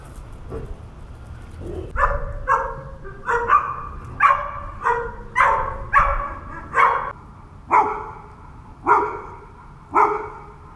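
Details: Seven dogs abandoned for months on a rooftop in H'Attard, Malta, bark steadily. After a few faint opening yelps, a run of a dozen loud, ringing barks follows, spaced about one second apart and slowing toward the end.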